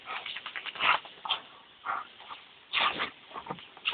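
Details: Dobermanns Tyra (2 years) and Thunder (7 years) romp with a hose in hot weather, giving short harsh barks about two seconds apart amid hissing water spray.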